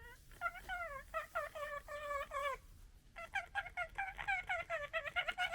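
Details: Foxes from a local fox family gekkering while arguing within the family: rapid bursts of stuttering, nasal, harmonic chatter, a run of quick calls, a short pause near the middle, then a denser, louder chattering series.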